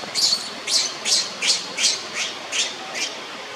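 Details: Leo, a young monkey lying on the ground as Libby torments him, gives piercing high squealing cries, each short and slightly rising, repeated steadily about every third of a second.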